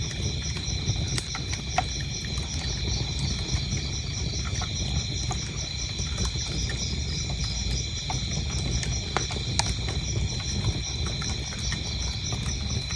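A steady, high chorus of chirping crickets rings beneath the snap and crackle of a burning fire.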